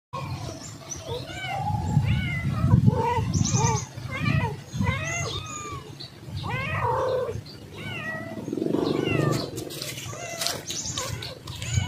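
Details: Domestic cats, a mother with her kittens, meowing in a home: a rapid series of short rising-falling mews, several overlapping, with a woman speaking Indonesian over low rumbling background noise.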